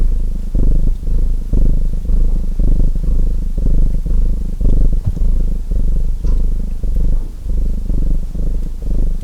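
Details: A house cat purrs continuously in a relaxing mix with fireplace crackle. The throaty rumble rises and dips in alternating in-and-out breaths almost twice per second, and soft fire ticks occasionally break through.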